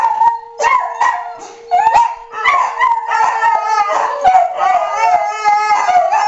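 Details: Pet dogs react to monthly tornado siren testing. Short yips and barks break into wavering howls, with several voices overlapping and a steady siren tone running underneath.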